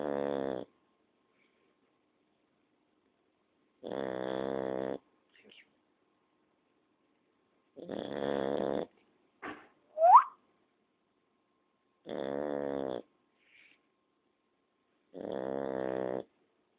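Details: Sleeping female Shar Pei snoring: buzzy, rumbling harmonic snores of under a second, repeated roughly every four seconds with silence between, plus a brief squeaky rising whine midway.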